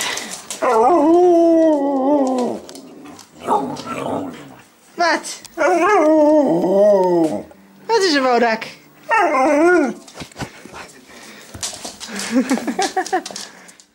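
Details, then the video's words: Several excited huskies welcome their owner home after a week away. Repeated drawn-out, warbling, singing howls rise and dip in pitch, some bending sharply, in bursts of one to two seconds, with a person talking in Dutch between them. "Husky greetings after being away for a week"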